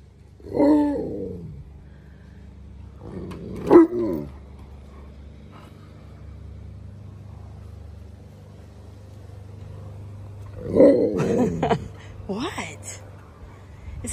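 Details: Alaskan Malamutes Tonka and Monroe protest their green, leaf-filled pool after a hurricane. Three short, moaning howls come at about 1, 4 and 11 seconds, with quiet background hum between them.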